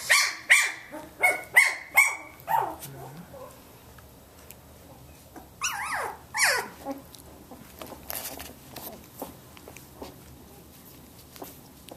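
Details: Samoyed puppies, 17 days old, indoors and learning to play with each other: a run of about six sharp, high yappy barks in the first three seconds, then a pair of squealing, rising yelps, with faint chewing and scuffling between.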